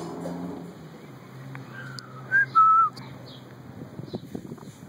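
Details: Milo the pet guinea pig trailing after its owner, giving a clear sustained whistle in two loud bursts midway, the second flatter and longer, over soft low room noise and light tapping.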